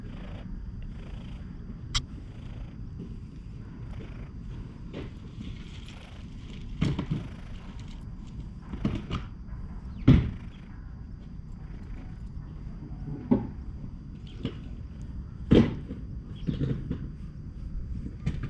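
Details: A stray cat resting on a lap at a shrine purrs with a steady low rumble that throbs throughout. Occasional sharp clicks and rustling handling noises break in over the soft outdoor background.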